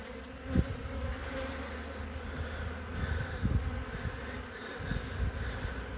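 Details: Winter colony of honey bees on three frames, checked on 14 February 2021 with a blue-marked queen present. A steady, layered droning buzz holds throughout, broken by occasional sharp knocks as the hive is handled and closed.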